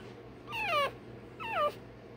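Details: Day-old Rottweiler puppy having its tail and dewclaws done: two high, squealing cries about a second apart, each sliding steeply downward with strong overtones, over a quiet low hum.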